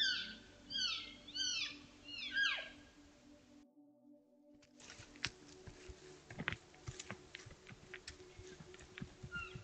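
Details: Trail camera recording from Utah on July 17, 2022 of a large elk herd, cows and calves talking naturally among themselves: four or five short, high, whistled mews that drop sharply in pitch, then a pause and scattered clicking and rustling.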